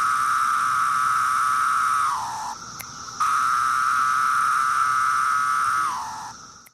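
A cicada's steady, droning whine holds level for two seconds, then sags downward before a pause.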